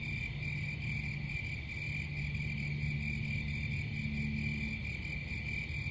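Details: Continuous high-pitched cricket chirping, a dense pulsing trill that never pauses, with a low droning hum beneath it.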